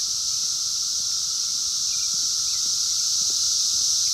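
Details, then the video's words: Periodical cicadas of 17-year Brood X in the wild, 2021, heard through a phone: a steady intense hissing buzz layered over a constant lower drone, with no break. "sounds of 17 Year Brood X Cicadas 2021 in the wild"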